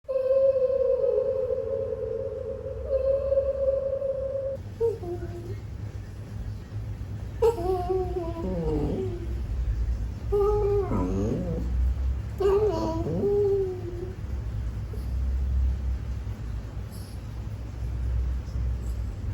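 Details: Charlie, a toy poodle, whines because he wants his afternoon walk, his tones shifting almost like singing: one long steady whine, a short break, then three wavering whines that rise and fall, over a low indoor rumble.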